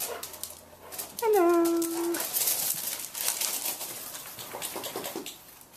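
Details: Otterhound dogs Rocky and Rosie playing together in a garden. A single drawn-out whine lasts about a second, starting slightly higher and then holding a steady pitch. Rustling and scuffling from the play follow, and a person's voice calls to the dogs.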